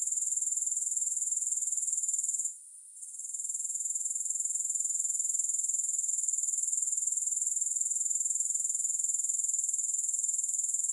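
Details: Grasshopper sound: a bright, sizzling high trill with a regular pulse near four per second, briefly quieting around two and a half seconds before resuming evenly for the rest.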